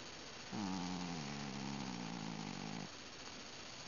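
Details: Ben, a pet cat indoors, sleeping or nearly asleep while being petted, gives a single drawn-out, low, voiced grunting moan lasting over two seconds, steady in pitch with a slight dip at the start, over a soft background hiss.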